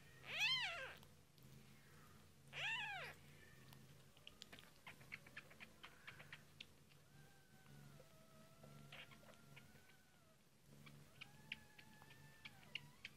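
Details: Kittens of British shorthair/longhair breed, only a few days old, during feeding: two strong arched meows in quick succession, then faint clicks, suckling noises and thin steady squeaks over a low hum.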